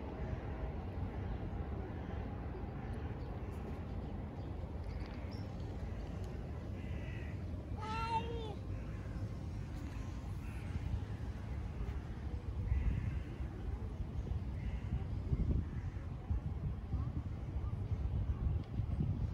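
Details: A tabby cat seeking affection gives a single clear meow about eight seconds in, a short tonal call with a bending pitch and rich harmonics, set against steady low rumbling and handling noise.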